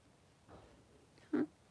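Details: Newborn Blenheim Cavalier King Charles Spaniel puppies, three days old, in a puppy pen with their mother Pom-Pom; a soft drawn-out whimper is followed by one short, loud, tonal squeak near the end in a quiet indoor room.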